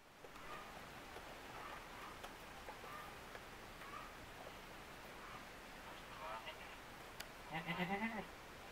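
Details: Two young Etawah goat kids, white-bodied with black heads, playing together inside their pen on 5 September 2021; after a long stretch of quiet background hiss, one short, nasal, wavering bleat with rich stacked harmonics sounds near the end.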